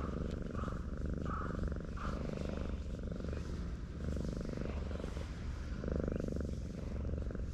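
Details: Stray cat asleep on a seaside breakwater, stroked by hand, purring continuously in a fine low rhythmic rumble with brief soft swells, over the steady hush of waves.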